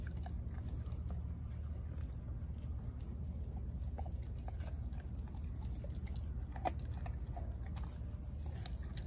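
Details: Raw turkey neck being chewed by Denali, a four-month-old American Blue Bay Shepherd puppy: scattered wet bites and crunches about once a second, with a constant low room rumble beneath.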